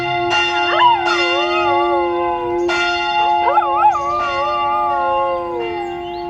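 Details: Ilvy, a rescued dog in Graz, Austria, howls along to church bells: long wavering, gliding howls that rise and fall, over sharp bell strikes and a steady ringing bell hum.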